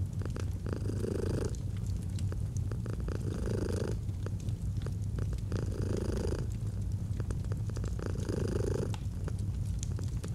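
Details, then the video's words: Domestic cat purring steadily, a deep low rumble with pulsing bands, swelling in breaths roughly every two seconds; crackling fireplace sounds mixed in, cozy autumn relaxation ambience. "Fall asleep to the Purring of a Cat & Fireplace"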